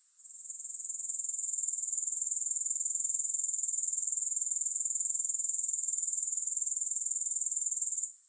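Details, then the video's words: High, dry pulsing buzz of grasshoppers. It fades in over the first second, holds level and steady, and fades out right at the end. "Grass Hopper Sounds"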